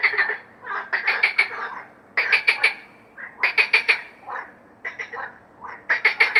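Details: Frog. A frog calls in quick clusters of harsh, rattling pulses. The bursts are separated by brief pauses and vary slightly in length and pitch.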